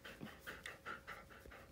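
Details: Siberian Husky at home close to midnight, visiting its owner; quick rhythmic panting with about six breathy puffs per second, steady and soft, amid faint room hiss.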